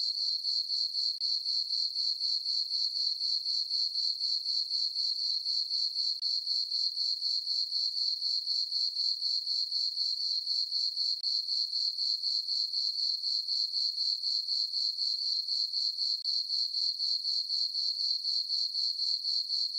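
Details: Crickets chirping in a meadow on a farm on a peaceful summer night under a full moon: a steady high-pitched trill pulsing about four times a second, continuous and even, with no other sounds.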